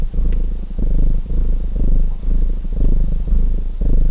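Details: Domestic cat purring, a dense low vibrating drone pulsing in even waves of under a second, alongside light clicking crackles of a wood fire in a fireplace.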